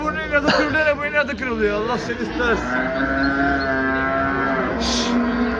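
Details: A cow moos in a drawn-out, steady low tone over several seconds while men talk loudly over the start of the call.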